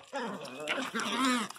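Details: Miniature Pinscher crying very loudly, a drawn-out tonal whine with rich harmonics, wavering and rising slightly in pitch over about one and a half seconds, with a woman's voice nearby.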